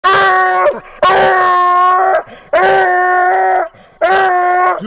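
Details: Phree Style, a Phrogger pup and world champion treeing dog, baying while a ringtail is treed: four long, loud, tonal howling bays of about a second each, spaced roughly every 1.2 seconds, followed by spoken praise.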